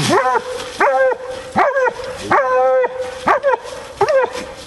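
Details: Female Bluetick hound working a raccoon hunt, barking six times in under five seconds, each bark a clear, ringing chop with a held mid-pitched tone.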